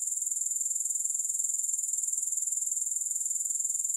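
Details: Sound of grasshoppers, no music: a continuous, piercing high trill made of quick regular pulses, roughly fifteen per second, steady throughout.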